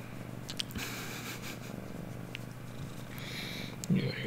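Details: Pet cat settling in for affection indoors, purring in a continuous low rumble; light taps and rustles, with a person speaking softly and a brief louder sound near the end.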